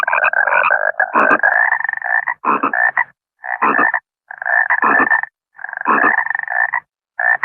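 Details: Water frog (bangkong) giving a series of loud, rattling pulsed croaks in runs of one to two seconds with brief pauses between, a steady chorus-like rhythm and nothing else audible.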